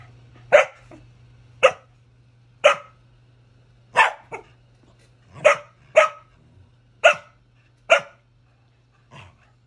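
A corgi gives a run of sharp, loud barks, roughly one each second, over a low steady hum.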